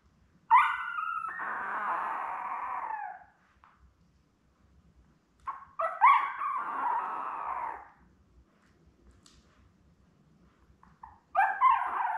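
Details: Litter of seven Labrador Retriever puppies, born May 24, 2021, with their mother Belle, filmed indoors by a live puppy cam on 4 June. Long drawn-out whining cries, each lasting about two to three seconds, repeated after quiet gaps.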